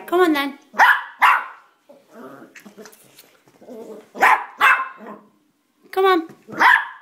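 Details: Pet dog Elvis, indoors at the top of a staircase he can climb but won't descend, barks in short pairs of sharp, loud yaps between a person's encouraging calls, with a high whining voice in between.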